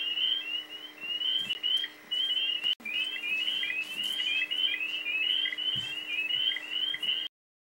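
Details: A chorus of spring peepers (Pseudacris crucifer) in Missouri in spring, each frog giving a short, piercing, upslurred peep again and again; overlapping callers make a dense, ringing wall of high whistles over a faint low hum, marking breeding season.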